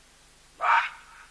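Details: Near a cheetah drinking alongside an elephant, a baboon breaks a quiet background with one loud, hoarse, bark-like shout that rises fast and dies away within a moment, leaving only faint hiss.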